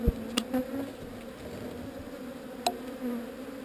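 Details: A relocated honey bee swarm hums in a continuous low drone with a strong overtone, broken by sharp knocks near the start and around the middle, while brief louder passes of single bees rise above the mass.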